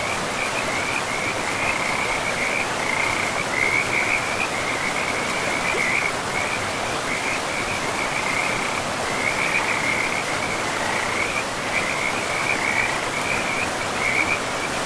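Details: Frogs along a river deep in a pristine forest keep up a continuous chain of high, rattling croaks with brief gaps, half-buried in the steady roar of running water.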